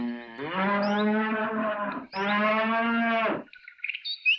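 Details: Cow mooing outdoors in nature: two long, steady, deep moos of about a second and a half each, separated by a brief pause, followed by faint bird chirps at the end.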